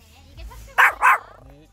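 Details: A dog on a walk in Seoul Forest gives two short, sharp barks in quick succession over faint background murmur.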